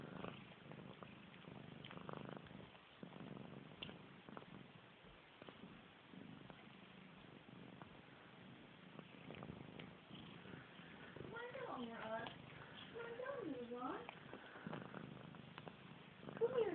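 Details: Pet cat Missy Grey washing her face indoors, a soft continuous purr underneath; later come a few wavering, gliding tonal sounds, with licking and rustling throughout and a louder rustle at the very end.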